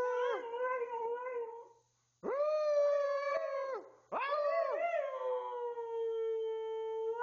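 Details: Twelve-year-old pet Siberian Husky named Tuscany howling on command in three long, loud, wavering vocal bursts with rich harmonics, each sliding up then holding steady, separated by short silences.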